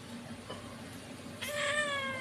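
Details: Pet domestic cat giving one drawn-out, steady meow in the second half, after a quieter stretch of low background hum and room noise.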